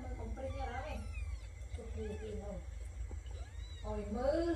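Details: Kittens giving several short rising-and-falling meows, some overlapping, with a person talking softly and a steady background hum.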